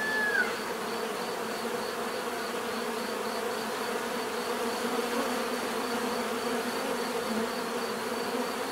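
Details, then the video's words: Swarm of bees droning without pause, layered low hum with a brief whistled slide near the start and a soft regular pulsing high tone above the buzz. "bees therapy relaxing natural buzzing sound"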